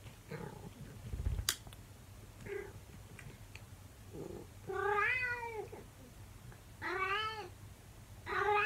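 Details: Monkey, a 24-year-old calico cat, talking to her owner indoors: a series of drawn-out, harmonically rich meows with rising-falling pitch, spaced a second or two apart, with a sharp knock and soft room noise between calls.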